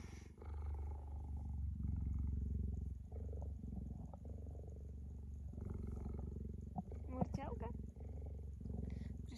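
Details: A female cheetah, tame and cuddling close to a woman, purrs in a low continuous rumble of rapid even pulses, with the woman talking softly over it and a few rustles.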